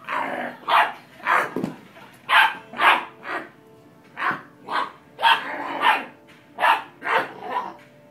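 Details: Dobermann puppy named Zeus playing with a person; a run of short, bright barks or yaps, about two per second in bursts, with brief pauses between groups.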